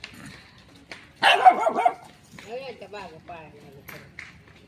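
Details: Little dog barking near a shy cat: a loud, rough burst of rapid yapping lasting under a second, then a thin wavering call and quiet Marathi speech.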